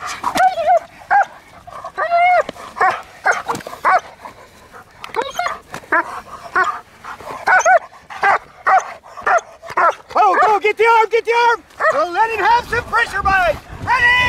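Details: Jet black German Shepherd named Milo during protection training, agitated without the sleeve; loud, sharp barks come in irregular bursts throughout, some rapid and clustered, with a man's voice urging and praising the dog between them.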